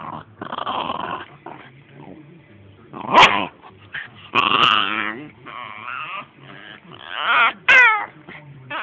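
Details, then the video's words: Pet dog named Hemi making strange noises: a run of loud whimpering and yipping bursts, some whiny and wavering, others rough and growly, with sharp high yelps near the end and short quiet gaps between. "Dog making strange noises"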